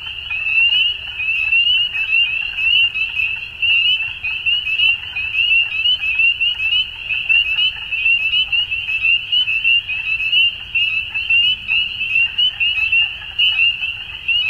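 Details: Spring dusk chorus of frogs in Ontario, Canada, many voices overlapping in a continuous high-pitched trilling drone that rises and falls in waves over fourteen seconds, with a faint low rumble beneath.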